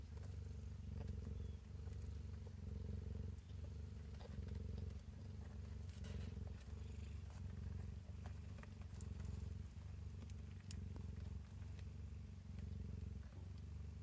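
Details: Domestic cat purring as kittens feed from her in a cabinet; a low, rumbling purr continues throughout with slight swells and dips, plus faint scratchy movement sounds.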